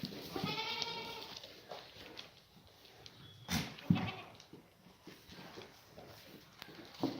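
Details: Black goats, mothers and their kids in the birthing pen at Sunny's Black Goat Farm in Gimhae, South Korea, on a clear Monday morning; one wavering bleat opens, then scattered shuffling and farm noises with a few sharp knocks.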